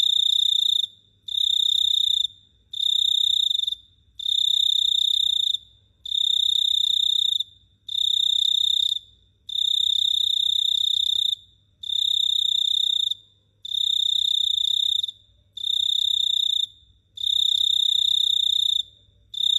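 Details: Night chorus of a cricket in Phteah Prey, a steady series of high, piercing buzzy trills, each lasting roughly one to one and a half seconds with brief gaps between, very regular over the whole stretch, low background rumble.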